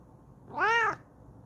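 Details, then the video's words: ['Excited yell from Kokoa the Bengal cat settled in her new chair: a single loud, drawn-out meow, arching up and down in pitch over about half a second, with a harmonically rich, bright tone indoors.'] "Kokoa Yells Excitedly In Her New Chair"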